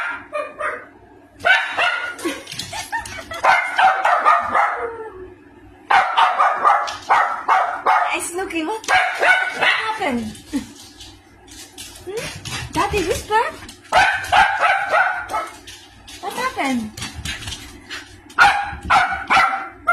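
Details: A small female Maltese gives sharp, high barks and yips in irregular bursts, reacting wildly to a strange, weird noise.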